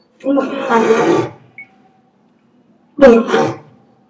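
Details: Orito, a male lion of the Asahiyama Zoo lion family in Japan, roaring a greeting in September 2023; two harmonic, throaty roars, the first about one second long, then a pause and a shorter second roar.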